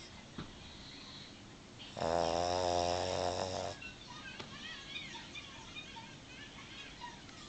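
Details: A female Boston Terrier, sound asleep with her eyes open, gives one loud, rattling snore lasting nearly two seconds.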